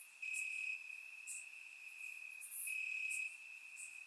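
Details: Crickets calling from the grass at night in summer, Bulgaria, surround recording: an unbroken piercing trill, loudest in two long bursts, with occasional faint higher chirps behind.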